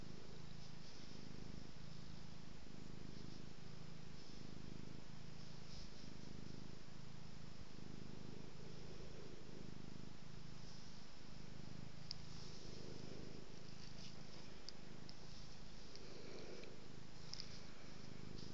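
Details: Cat being petted purrs continuously, the low rumble swelling and fading in a regular rhythm with each breath, in and out roughly every two seconds, over faint rustling of hands on fur indoors.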